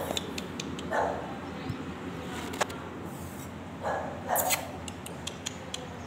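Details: A white-and-brown female English Bulldog in Jaipur, Rajasthan gives two short, gruff barks a few seconds apart over steady background hiss.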